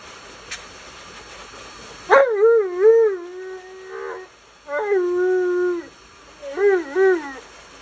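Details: Tonka the Alaskan Malamute complains loudly during his bath. Background hiss stops, then wavering, talk-like howls come in three bursts, the last with quick up-down warbles.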